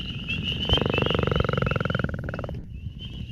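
A Northern Leopard Frog gives a low, rattling, nasal snore lasting about two seconds.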